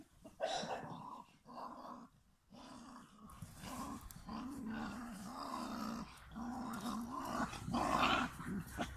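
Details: Standard Bull Terrier and American Bulldog indoors, a dog growling in a long, rough, rumbling stream with short pauses. It swells louder toward the end, and room noise sits underneath.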